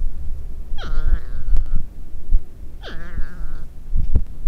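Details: Porcupines talking, moaning and arguing: two whiny, harmonic cries, each sweeping steeply down and then holding a lower, wavering tone, about two seconds apart, over low thumps and rustling.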